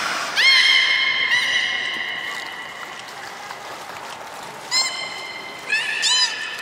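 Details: Beluga kept at Port of Nagoya Public Aquarium, Japan, filmed 16 March 2019 during feeding on fish and play time afterward: a sharp upswept whistle held for over a second, then brief chirping upsweeps a few seconds later.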